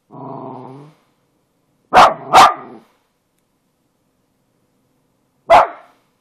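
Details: Daisy the dog starts with a brief low, moaning harmonic tone lasting about a second, then after a pause fires off a quick double bark, and after a longer silence adds one final single bark.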